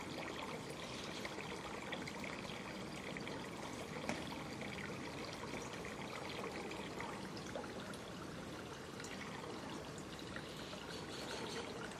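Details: Steady trickling, pouring water noise runs throughout, broadband and even, with no animal voice standing out.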